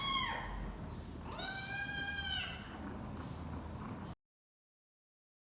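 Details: A hungry kitten cries with high, drawn-out mews, an urgent call to its mother for food, which she answers by feeding.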